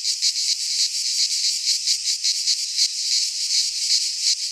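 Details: Cicadas singing in midsummer in a pine forest in Greece: a dense, continuous buzzing chorus, high and shrill, pulsing in quick throbs several times a second, with no other sounds clearly heard.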